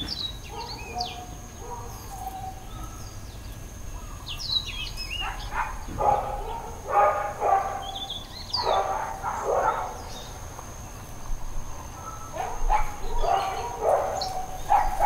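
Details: Intermittent dog barking recorded at Hawaiian Paradise Park, Hawaii, on Labor Day, September 2, 2024. Birdsong and chirps fill the opening seconds, then irregular bursts of barks, some doubled, take over amid continuing bird calls.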